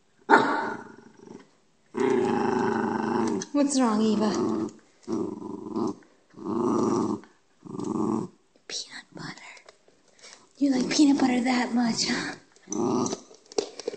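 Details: Schnauzer named Eva growling during an indoor chase game while keeping an empty peanut butter jar in her mouth; rough, buzzy growls come in bursts of about a second, repeated several times, with a person talking and laughing between them.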